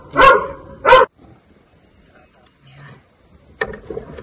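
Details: Dog barking while confronting a Russell's viper near a garbage depot by homes, before the snake is released in a forest area: two sharp, harsh barks in quick succession, a pause with faint voices, then another abrupt bark.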